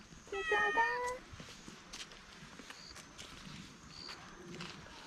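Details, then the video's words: Stray cat grumbling while guarding its food so it is not taken away; a single loud harmonic meow near the start, rising then falling, followed by faint murmuring and soft background noise. "밥 뺏기지 않으려는 길고양이의 꿍얼꿍얼 귀여운소리다옹"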